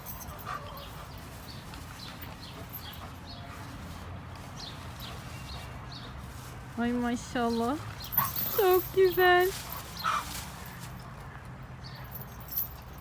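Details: Pet dog on a grandfather's farm, said to be very hungry and fond of meat, gives a short burst of high, wavering whines near the middle, with Turkish speech from children and adults and steady background noise.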